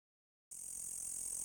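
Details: A green insect in the dark gives a loud, steady, very high-pitched buzzing hiss that starts abruptly after a moment of silence.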